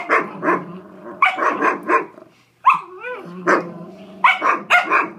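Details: Big dog and little fostered terrier puppy at tug of war in an office, giving clusters of quick gruff barks in pairs and triples, broken midway by a short rising whine before the barking resumes.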